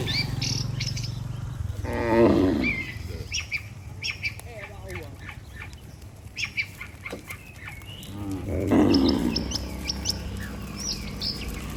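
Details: Dozens of tame cattle walking home to the barn together after a day on pasture, giving two low, drawn-out moos several seconds apart amid steady chirping of small birds.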